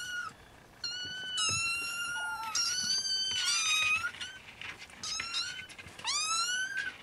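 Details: Nursing Siamese kittens of the Snowshoe type, several calling at once; long overlapping high mews, some bending upward, others sliding down, almost continuous over a soft room background.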